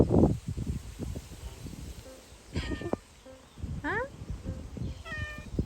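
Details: Domestic cat giving a few short meows with rising, stacked tones, the clearest two about a second apart near the end, amid a person's soft Korean speech, gentle cooing and low rustling handling noise.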